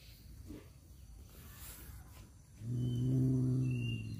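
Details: Male domestic cats fighting over a female: after a quiet start, a low, steady, droning yowl with strong harmonics sets in at about two and a half seconds and holds to the end, with faint high birdsong in the background.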